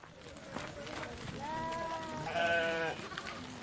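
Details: Flock of sheep passing by, several overlapping wavering bleats rising and swelling in the middle of the clip, one long tremulous bleat near the end, over a steady shuffling background.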